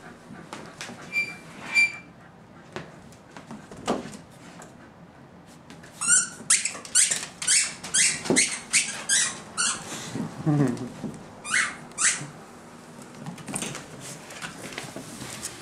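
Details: Boxer puppies, three nine-week-olds from the Joey/Duey litter plus thirteen-week-old Edna, playing with Vegas indoors: scattered soft squeaks early, then a rapid burst of sharp, high yips about six to ten seconds in, with occasional human voices.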